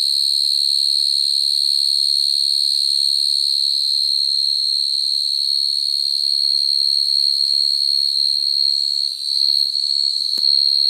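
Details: Field cricket calling to attract females at night, a natural recording meant for luring crickets into traps: a steady, unbroken high-pitched trill with a faint upper overtone, holding one pitch throughout, with a brief dip near the end.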